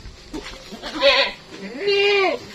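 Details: Large Etawah crossbred goat named Mondy at Lek Men Farm in Indonesia bleating twice, a short wavering cry followed by a longer, louder nasal bleat that bends upward then falls away.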